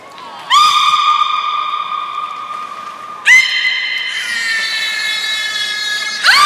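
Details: Aquarium beluga at Port of Nagoya Public Aquarium, Japan, performing in the 4 November 2018 afternoon public training at 16:00: three loud, sharply starting squealing calls, long and steady with strong overtones, the last rising abruptly in pitch.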